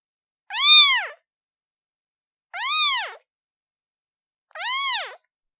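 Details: Calling for its mother, a newborn kitten gives three bright, harmonic meows that swell up and drop back down, spaced about two seconds apart with silence between.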